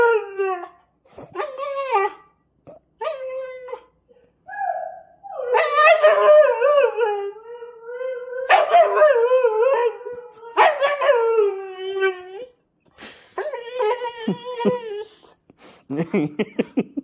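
A husky-rottweiler cross gives a run of wavering, howl-like 'woo' vocalizations, rising and falling in pitch.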